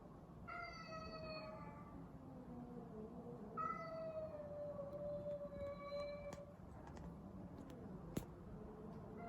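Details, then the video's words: Cats fighting, giving long harmonic yowls that waver and fall in pitch, one drawn-out wail lasting several seconds, with a brief sharp click near the end over steady low background noise. "meow sounds during the cat fight"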